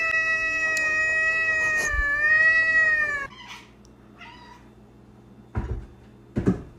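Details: Pet cat holding a sustained, slightly wavering meow for about three seconds, then near silence broken by a few faint knocks and soft thuds.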